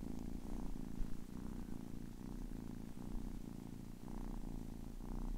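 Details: Ten-week-old kitten purring indoors: a steady low rumbling purr with a soft pulsing rhythm, each inhale and exhale phase lasting under a second, continuous throughout with no other sounds.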